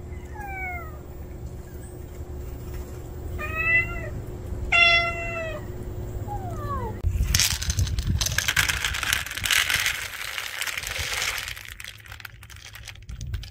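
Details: Housecat Juhwangi and stray Norangi finally rooming together; a run of about five drawn-out, downward-curving meows in the first seven seconds, followed by loud rustling and scuffling noise.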